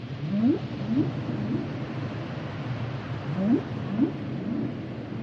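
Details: Humpback whales giving paired short rising upsweep calls, two quick groans then a pause and two more, against a low steady underwater hiss.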